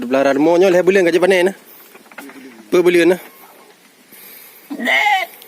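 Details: Farmed sheep (domba, kibas) raised for fattening with a three-month harvest: wavering, tremulous bleats in two bursts, a long one then a shorter one, followed by a brief harsher cry near the end.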